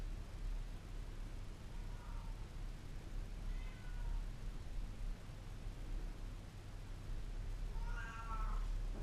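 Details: Domestic cats used as a real-life alarm clock give a few faint harmonic meows, one near two seconds, another near four, then a louder, stacked meow near eight seconds, over steady low rumbling background noise.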